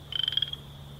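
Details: Western chorus frog call, likened to running a finger down the metal tines of a small harp or kalimba: plinking and very metallic. A short, rapid trill of about nine pulses over half a second, edging slightly upward, over a steady low hum.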